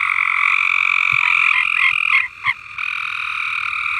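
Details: Farm frogs in full song, a continuous high buzzing chorus with a few distinct croaks breaking through near the middle before the steady trill resumes.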